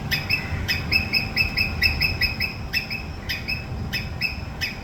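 A squirrel repeats sharp, rasping screeches in clustered bursts, each note harsh and buzzy. These alarm calls alert others to danger, over a low rumble of background noise.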